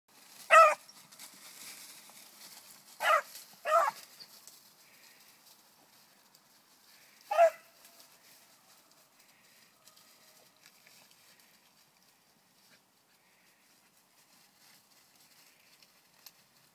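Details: Bluetick beagle pup, four months old, tracking a rabbit: four sharp, broadband barks in the first eight seconds, two close together, then near silence with faint rustling.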